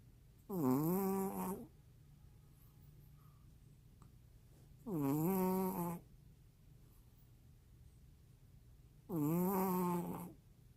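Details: Maltese named Juni asleep and snoring in a quiet room, three long harmonic snores with a sagging-then-climbing whistle-like pitch, repeating about every four seconds, nothing else audible.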